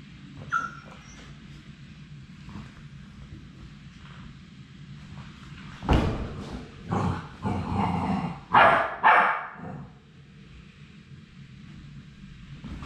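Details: Labrador Retriever puppies, the final three of a litter at High Desert Labradors on their last day before going to new homes, give a short cluster of yips and whines over about four seconds amid quiet low rumbling background.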